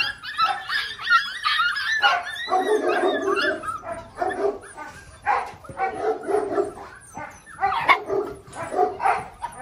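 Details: A litter of six-week-old Belgian Malinois puppies, Mensa x Pixel, calls together. Short sharp yips and small barks repeat in quick, overlapping bursts, mixed with thin whines and squeaks throughout.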